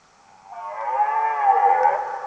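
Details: Red deer belling, a long groaning roar rich in harmonics that rises in loudness, holds, and tapers off, heard over a quiet background.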